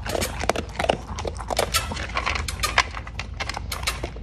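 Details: A Cocker Spaniel chomps dog food, with loud crisp bites roughly every half second mixed with softer crackling chews.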